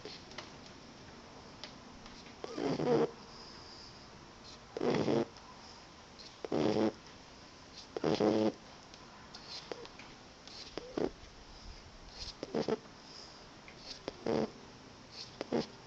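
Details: Roxie, a tired female Boxer puppy, snoring during an afternoon snooze indoors: raspy, buzzy breaths with a low harmonic rattle, coming in uneven bursts every two to three seconds, with softer breathing between.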